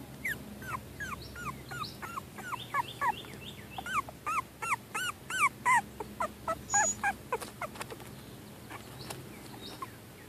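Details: Cavalier King Charles Spaniel puppies, 25 days old and barely walking, whimper in high, falling squeals that overlap in a rapid chorus.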